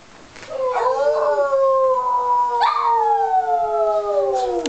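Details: Pet dog, a female, howling along with her owner; two sustained tonal howls, the first rising slightly then holding steady, the second starting higher and gliding slowly down over about two seconds.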